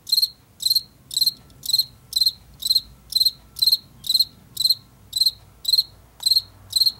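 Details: Late summer and fall field cricket of fields and forest edges, producing even, high, pulsed chirps at about two per second throughout, with a faint low hum and a single small click midway.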